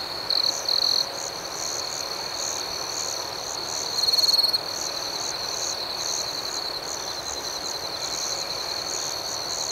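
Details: Nighttime crickets chirping outdoors: an unbroken shrill trill with fast, rhythmic higher pulses above it, interrupted by two short, louder piercing bursts near the start and around four seconds.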